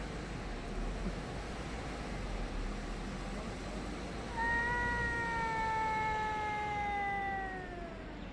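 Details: A cat yowling at another cat, recorded on 3 Av 5785 around 6:01–6:04 summer time; after several seconds of low background hum, a single sustained, slowly falling wail is heard for about three seconds.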